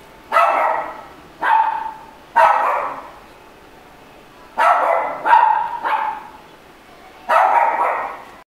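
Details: Red Shiba Inu giving loud, rough barks, three in quick succession, a pause of about two seconds, then three more and a final bark, each ending in a short trailing fall.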